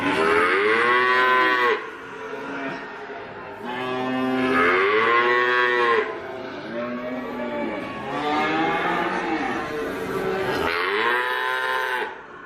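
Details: Repeated loud cattle moos, about five drawn-out calls with arched, wavering pitch and strong harmonics, separated by brief quieter dips.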